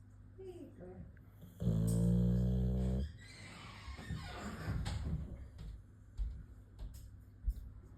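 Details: Sleeping Boxer dog snoring indoors: one loud, rough, droning snore of about one and a half seconds, surrounded by quieter breathing, faint room noise and soft background voices.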